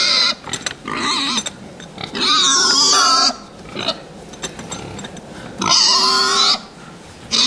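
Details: Pigs kept for fattening squeal loudly and shrilly in repeated bursts of about a second each, separated by quieter grunting and barn clatter.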